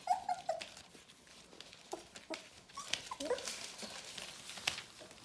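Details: Bohemian Shepherd puppies of the F litter, almost four weeks old, whimpering indoors: a few brief thin whines at the start, then scattered faint squeaks among rustling and clicks.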